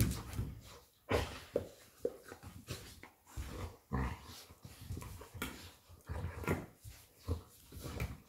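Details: Lilly, a Labrador Retriever mother, romps with her puppy Molly; repeated short growls and snorts sound every half second or so, punctuated by scuffles and thumps of the game.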